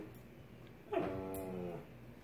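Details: Alaskan Klee Kai (Canis lupus familiaris), tantrum whine: throwing a daily tantrum.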